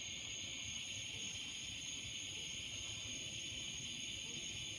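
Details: Evening chorus of cicadas in trees, a continuous high-pitched sizzling buzz held at an even level throughout, with layered shrill tones and a soft low background rumble.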